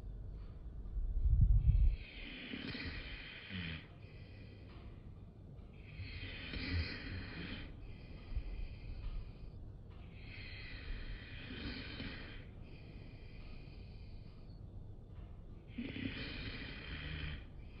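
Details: Bulldog in a funny compilation, snorting and wheezing in rough, noisy bursts that recur about every four seconds, with a brief low thump near the start.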